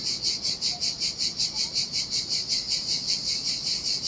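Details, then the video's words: Cicadas singing in the summer heat on a desolate Sardinian beach: a loud, high, sizzling buzz pulsing steadily about two and a half times per second, with only faint low sea noise beneath. "Ocean Waves & Cicada Sounds - The Most Relaxing Waves Ever - Cicadas by the Sea"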